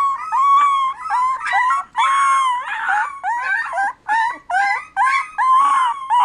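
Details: Puppy howl indoors: choppy, quavering notes in quick bursts, a longer wavering howl near two seconds, then shorter yelping howls roughly every half second, sliding slightly up and down in pitch.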